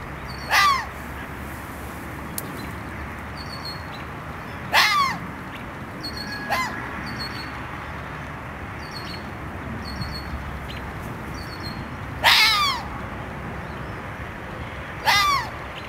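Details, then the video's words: Series of five sharp, hoarse red fox barks at irregular intervals of two to six seconds, each brief with a downward slide, set against quiet background with soft high bird twitters. "fox barking"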